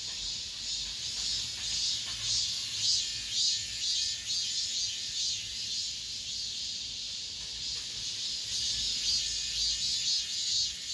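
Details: Cicadas at an apartment complex in late summer, the last of the season, producing a steady shrill drone with rhythmic throbbing swells repeated roughly every half second.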